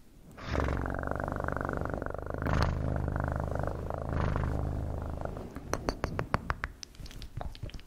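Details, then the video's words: Cat purring loudly and evenly for about five seconds in a deep, throbbing rhythm, followed by a string of sharp clicks and taps as the purr fades. "Best PURRING sounds"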